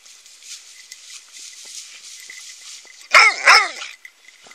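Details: A dog gives two quick, sharp barks in close succession after a few seconds of quiet background hiss.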